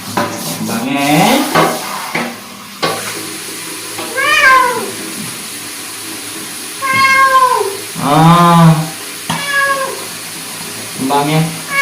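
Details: Korean shorthair cat Soso, a male born in 2020 and once a street cat, meowing while being bathed, making near-constant dying-sounding cries throughout; drawn-out wavering falling meows repeated several times, with splashing water and handling noise.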